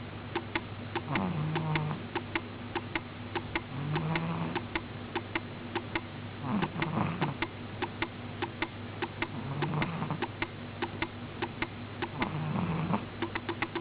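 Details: Sound asleep, Miina the cat snores in a slow regular rhythm, five short low drones about every three seconds, each slightly rising at its start, with fine ticking clicks throughout.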